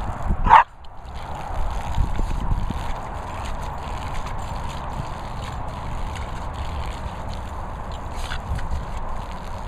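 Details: Border Terrier named Leo, playing with a garden hose, lets out one sharp bark early on, followed by a steady hiss of running water and spray for the rest of the recording.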